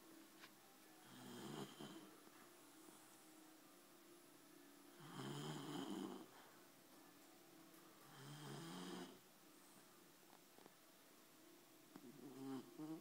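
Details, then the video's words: Labrador Retriever dog snoring while asleep indoors: three slow, raspy breaths spaced about three seconds apart, each a broad rough snore swelling and fading, with quiet room hiss between them. "Labrador sleep"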